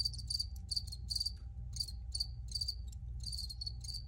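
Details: Close cricket chirps, crisp grouped pulses of two to four clicks each, roughly three or four groups per second, with a soft low rumble and faint hum behind.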